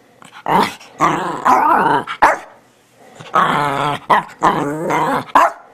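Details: Shih Tzu Bichon Frise teddy bear dog "talking" in long wavering, yowling phrases that bend up and down in pitch, broken by brief sharp woofs, about six utterances in all.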